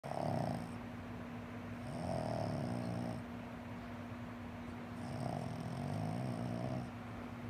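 A Boston Terrier snores in slow, rasping breaths, each lasting about a second or more.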